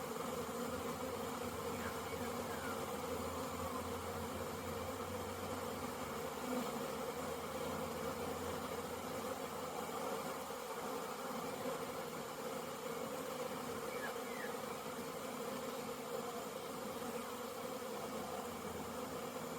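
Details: Swarming honey bees circling a busy hive during orientation flights, dated 22/09/2022; a dense, unbroken hum fills the whole stretch, steady in loudness, with one or two brief faint chirps.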